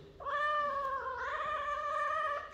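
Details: Domestic cat indoors giving one drawn-out, steady meow lasting about two seconds, clear and tonal with rich harmonics, holding an even pitch before fading out.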